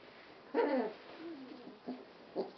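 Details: Sealyham Terrier puppies, 3.5 weeks old, from a 2017 litter: a high, wavering whimpering yelp, followed by a thinner whine and two short squeaks, in a quiet indoor setting.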